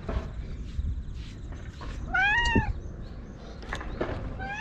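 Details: Stray orange tabby cat chatting in cat language as it rubs up against someone, filmed on a GoPro. One clear arched meow in the middle, a shorter rising call at the very end, with soft rustling and thumps.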